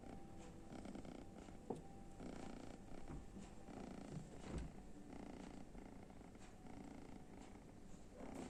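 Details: A kitten sleeping in front of the oven, snoring: a soft, steady low rumble runs through the whole stretch, with faint brief rustles and one sharp click partway.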